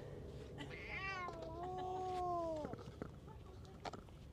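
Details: Stray cat, described as a tough bully lashing out at other cats, giving a long drawn-out wavering yowl that rises then holds and drops at the end, with faint clicks and a person's brief exclamation before.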